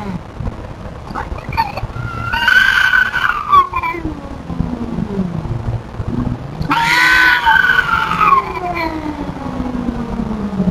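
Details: Feral cat scolding an intruding cat, giving low, drawn-out growling moans that slide slowly up and down, broken by two harsh, hissing bursts with higher wailing tones over steady background rumble.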